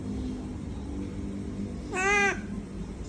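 A monkey gives one short, nasal, harmonic squeal over a steady low rumble of traffic.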